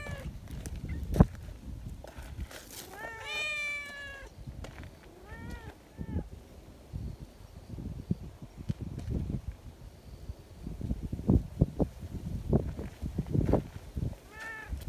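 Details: Community cats at a cat gathering, cuddly and wanting to be petted alongside their companions; a cluster of wavering meows early on, a couple more short mews, then mostly low rustling and thumps with a final brief meow.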